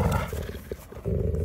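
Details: A Landseer Newfoundland dog growls low and throaty, with a short dip in the rumble midway before it returns at full strength.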